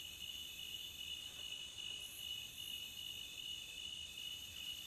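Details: Crickets at the beach, offered for relaxing: a dense, steady high-pitched chirping with strong bands that pulse continuously and never break, plus fainter shimmering overtones and brief higher flickers near two seconds.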